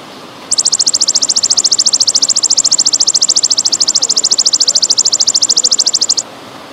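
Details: High, metallic pulsed trill of a golden grasshopper in the pausing style, a songbird training recording with trickling water: quiet hiss, then nearly six seconds of fast, evenly spaced chirping pulses that stop abruptly.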